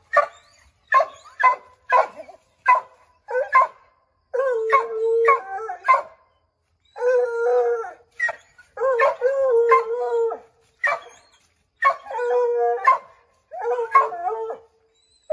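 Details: Pack of Redbone Coonhounds (Bo, Luke, Lulu, Cooter, Jesse) howling to drive a chipmunk out of an oak tree: quick barks, then overlapping long baying howls of a second or more, voices layered and wavering.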